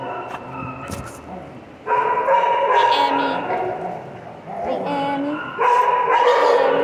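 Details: Piper, a pet dog, vocalizing at length in a 'talking' manner: drawn-out, whiny, tonal yowls in sustained bouts of a couple of seconds, separated by short quieter gaps with softer murmuring sounds.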